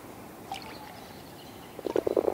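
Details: Male common frogs, the only ones croaking, give a quick burst of low, soft purring croaks, several pulses near the end, at a breeding pool at a wood's edge in bitterly cold late February in the British countryside.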